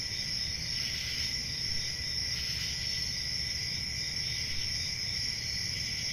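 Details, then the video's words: A steady summer-night cricket chorus in the countryside: unbroken, piercing high trills from many insects blended into one even ringing drone, with a soft low rumble beneath. "10 Hours Relaxing Cricket Sounds For Sleeping"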